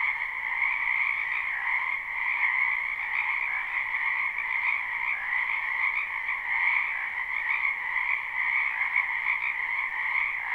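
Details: Frogs massed in a spring wetland, recorded live without loops, keep up a constant croaking chorus: overlapping fast trills blend into an even, ringing drone with small rises in volume, nothing else audible.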